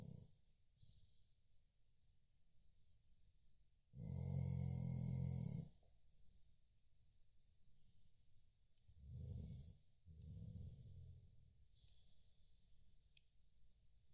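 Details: Sleeping Chow Chow snoring: deep, rumbling low snores, one long loud rasp around the fourth second, then two shorter snorts near the ninth and tenth seconds, with quiet breathing in between.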